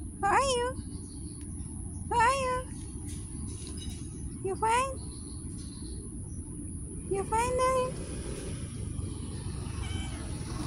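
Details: Street cats meowing: four drawn-out, arching meows spaced about two to three seconds apart, each rising then falling in pitch, over a steady low rumble of traffic and street noise.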